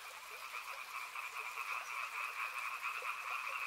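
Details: Frogs calling beside a river: a dense, steady chorus of rapid pulsed croaks in two bright bands, many voices overlapping with about two pulses a second standing out, with a soft hiss underneath.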